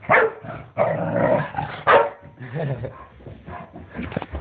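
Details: Shar Pei dog running about excitedly, giving a burst of loud, rough barks and yips, uneven in rhythm, with scuffling and handling noise underneath.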